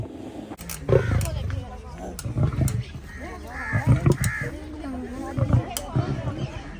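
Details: Male lion seen up close, giving low, rough grunting roars in repeated bursts, several strong pulses around the first and fourth seconds, with other voices and background noise mixed in.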